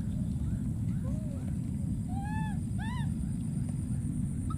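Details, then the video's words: A wild monkey baby calls for his friend with short arched, whiny coos, several rising and falling in quick succession, half buried under a heavy, constant low rumble. "this p.o.o.r wild monkey baby keeps s.c.r.e.a.m.i.n.g and calling for his friend"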